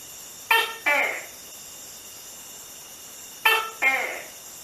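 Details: A Tokay gecko gives two loud, croaking two-syllable "to-kay" calls about three seconds apart, the second syllable dropping in pitch, over a faint steady hiss.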